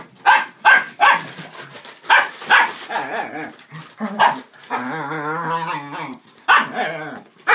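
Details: Playful dachshunds, adults and puppies, romping around a cardboard box and cat tunnel: rapid high yaps open, then a long wavering drawn-out tone, then more sharp barks near the end.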